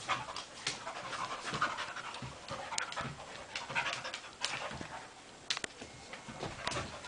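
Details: Two dogs playing and roughhousing together: quick, breathy panting and huffing with soft snorts, continuous and uneven, with rustling of movement throughout.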